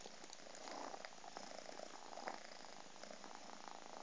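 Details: Ho'Hara, a very cuddly Scottish Fold cat, purring: a soft, steady, continuous low rumble with faint rhythmic pulsing and no breaks, recorded close and quiet with little other sound.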